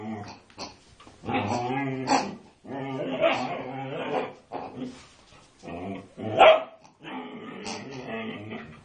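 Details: A female Siberian Husky attacking a pig, unusually vocal, gives drawn-out, throaty, wavering vocalisations broken by short sharp yelps.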